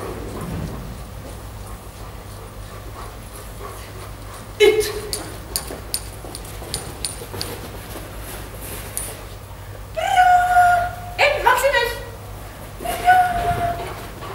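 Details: Giant Schnauzer dog whimpering indoors: a quiet start with scattered light clicks, then a cluster of high, tonal whines with rising harmonics near ten to eleven seconds, and one more drawn-out whine near the end over low steady hum.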